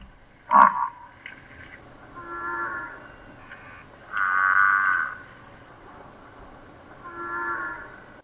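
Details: An African buffalo in Southern Africa gives drawn-out, low nasal moaning grunts, three in about eight seconds, after a brief sharp sound at the start.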